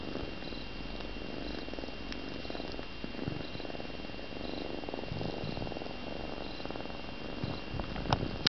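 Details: Three-month-old female Balinese kitten purring while asleep: a continuous, even, low rumbling purr with a steady fast pulse that runs unbroken through the whole stretch, with only faint soft ticks above it.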